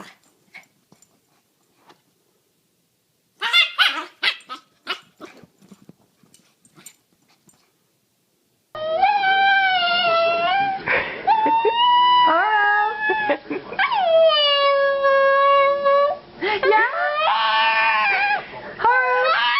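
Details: Domestic dog howling: after a few seconds of scattered clicks and taps, a run of long, wavering howls with rich overtones rises and falls, some held steady and others bending upward, continuing almost without pause for about ten seconds.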